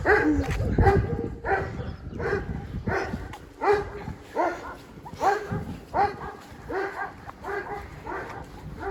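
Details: Two overexcited Siberian Huskies walking home from a dog hotel, giving repeated yelping, whining barks and yips roughly every second, uneven and emotional, with a person's voice and outdoor walking noise mixed in.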